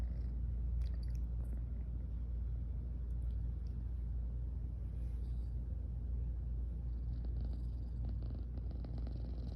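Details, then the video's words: Close-up purring from Garfy, a drowsy female house cat who keeps yawning; a continuous deep rumble, slightly rougher and noisier, with soft scratchy rustles now and then. "SLEEPY & PURR: Garfy keeps yawning & purring"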